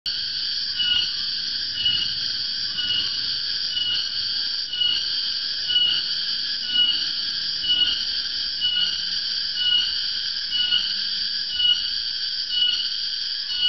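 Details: Cicada, known in Indonesia as tonggeret or, in Central and East Java, garengpung, calling loudly in the afternoon as a sign the dry season is coming; a continuous shrill, piercing drone with banded tones, pulsing about once per second.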